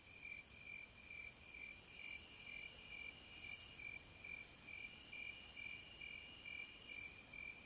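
A steady, high insect drone of cicadas, with a softly pulsing buzz and occasional louder rasping bursts.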